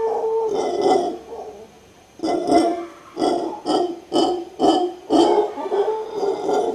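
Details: In Guanacaste, Costa Rica, a howler monkey sings with a drawn-out hoarse roar, a short pause, then a run of throaty grunting pulses repeated roughly twice per second.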